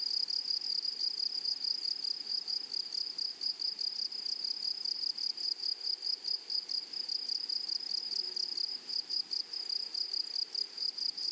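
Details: High, continuous insect buzzing from grasshoppers in a flowering prairie meadow, made of quick regular pulses that run without pause, with a thin higher overtone above and nothing else clearly heard.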